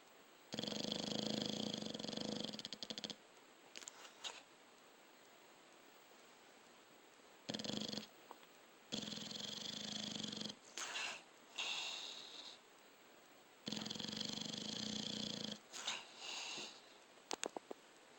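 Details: A sleeping dog snoring: long rasping, buzzy breaths lasting two to three seconds each, separated by quiet pauses, with shorter irregular snorts in between.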